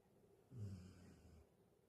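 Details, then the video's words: Sleeping Galgo named Carlotta gives a short, rough, low snore that fades over about a second, followed by quiet breathing. "Carlotta schnarcht"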